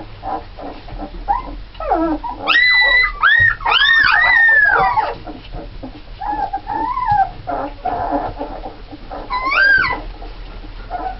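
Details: Red Alaskan Malamute puppies from a litter of nine, seven females and two males, born 1 November 2010, giving high wavering whines and yodelling howls that rise and fall, bunched between two and five seconds and again near nine seconds, over a steady low hum.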